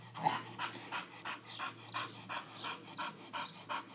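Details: English bull terrier panting after attacking a lawn mower: quick, breathy huffs repeated almost three times a second in a steady rhythm, soft against a low background hum.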